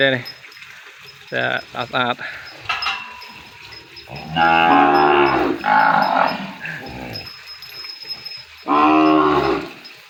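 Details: Young calf crying for its mother after separation in a farm pen: a few short bleats, then long, strong, rich moos that rise and fall, separated by quieter stretches with faint background noise.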